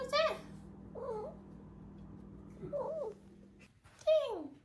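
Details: Five-month-old female Maine Coon kitten calling repeatedly: a clear meow, two warbling rolled trills, then a long meow that slides downward. A low steady hum sits underneath.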